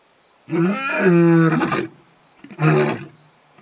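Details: Male lion in the bush, calling the rest of the pride to join him at a waterhole in early evening: two deep, harmonic-rich roaring groans, the first long and swelling, the second shorter, reverberating through the bush.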